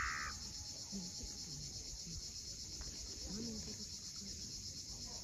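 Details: At sunset on Crimea's Cape Fiolent coast, cicadas keep up a continuous high-pitched droning hiss; a brief bright bird note opens the moment, with soft surf murmuring underneath.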